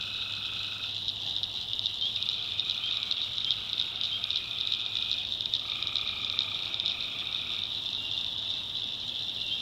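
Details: Many tree frogs in a North Carolina swamp at night, forming a continuous high buzzy trill with slight pulsing, while separate lower calls come in short bursts; a low steady hum sits in the background.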